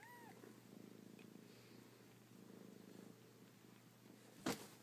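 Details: Kittens: a short high mew at the start, then a steady low pulsing purr, ending with a sharp loud knock.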